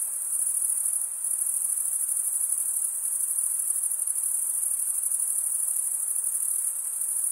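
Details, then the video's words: A continuous, piercing cricket chirping chorus sits high and constant, with the shrill buzzing trill barely wavering in loudness and nothing else clearly audible. "Most relaxing cricket sound"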